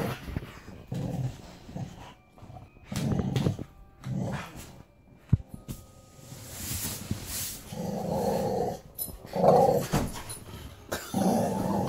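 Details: Play growling from an Alaskan Malamute tugging at a toy bunny alongside a pit bull. Short, low, rough rumbles come in repeated bursts separated by pauses, with scuffling and a person's voice in between.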